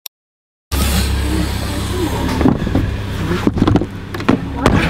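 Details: A steady low engine drone fills the recording, with indistinct voices and occasional knocks or thumps. No animal sound can be picked out.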